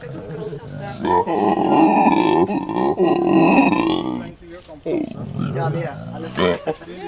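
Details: Howler monkey male at Monkeyland, South Africa, vocalizing near his family of mate and three youngsters. A long, rough, growling roar holds for about three seconds, then breaks into shorter grunting fragments and scattered rasps.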